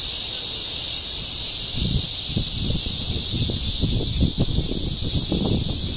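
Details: Red-veined bear cicada in courtship, recorded 28 June 2013 in Guangming Park, Zhongli, Taiwan: a constant, piercing buzz over scattered low rustles and bumps.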